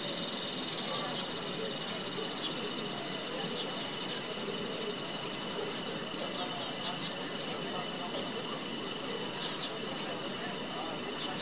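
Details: Cicada from Himachal Pradesh, India: a high steady whine, strongest at the start and fading gradually, mixed with scattered short bird chirps and twitters.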